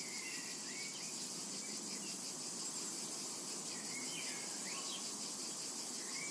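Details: Cicadas buzz without pause across a summer meadow, a bright, shrill wall of sound with faint beating pulses, while several quick chirping bird notes scatter through it.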